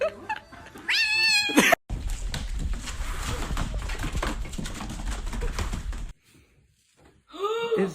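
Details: Domestic cat giving a drawn-out, wavering meow early on, then a long stretch of loud noise with music, and a second rising-then-falling meow at the very end.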